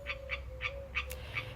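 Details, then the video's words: A frog calling behind a woman as she speaks indoors, its calls growing more insistent; short bright chirping notes repeated about every third of a second, over a steady low hum. "Okay a frog is singing behind me how do we say dry in Persian"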